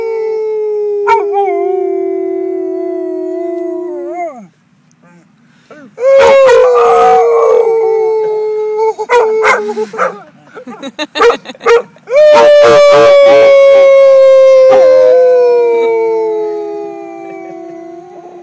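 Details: A dog, Redford, gives long, sustained howls that hold steady and then slide gently downward, with short yips between. The howling session is with his owner at Columbia Cemetery in Boulder, Colorado.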